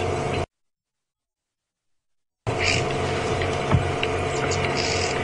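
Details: A low vehicle hum and faint background noise with a brief silent gap, no animal calls.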